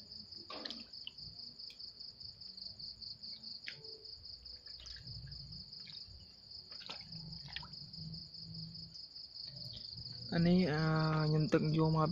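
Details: Farmed frogs at night on a Cambodian frog farm, feeding after dark. Steady high cricket trilling fills most of the recording with faint low thuds, then a loud, harmonic, croaking call breaks in near the end and continues strongly for two seconds.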